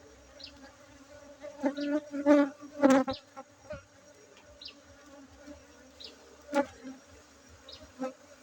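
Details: Honey bees droning steadily while honey is harvested at a bee-keeping site in Bener Meriah, Aceh, Indonesia, on 7 August 2023; low constant hum with a cluster of crackling, rattling handling sounds early, then scattered taps.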